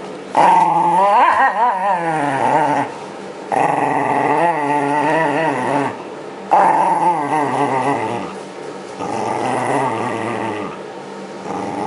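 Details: ['Shiba Inu Yamato protests with rising and falling grumbling growls while being brushed to shed its winter coat, 2012, as spring nears. Four sustained bursts are separated by softer gaps.']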